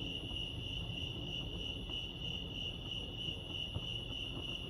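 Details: Crickets chirping at Lake Arrowhead, California, a steady high pulsing trill held without pause, with low rumbling background noise underneath.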